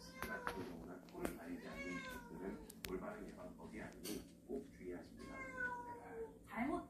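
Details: Family of cats from a storage shed coming into a house on 14 October; several soft meows with rising then falling pitch, heard amid quiet talk in an indoor room.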